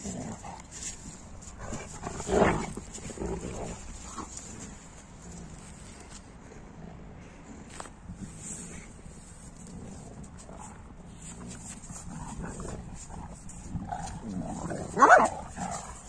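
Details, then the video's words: Newfoundland dogs romping in snow in Kiev, four-year-old Bella among them; two loud, deep single barks, one early and one near the end, separated by long stretches of quiet shuffling and low background noise. "Giant Newfoundland Dogs Are Playing in the Snow Barking!"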